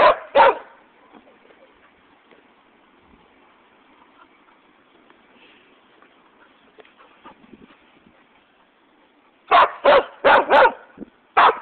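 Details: West Siberian Laika named Flint barking to get an orange toy, with a Shiba Inu called Conker also present; two quick barks open, then a long quiet stretch with faint rustling, then a fast burst of four or five barks and one more.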